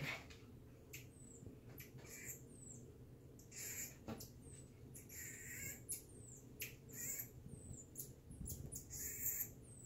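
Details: Reggie the marmoset at playtime: bursts of shrill, high-pitched squeaks and chirps, some with a harsher lower edge, coming in quick clusters every second or so over a steady low background hum.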